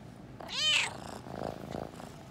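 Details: Toyger cat Frodo giving one strong, rising-then-falling meow while exploring a pet shop, followed by softer rumbling sounds that may be purring, in an indoor room.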